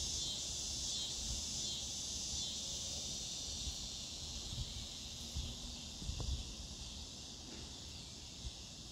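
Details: Scissor grinder or dog day cicada (Neotibicen pruinosus) calling in a sustained high buzzing drone, accompanied by scattered low thumps and knocks in the second half.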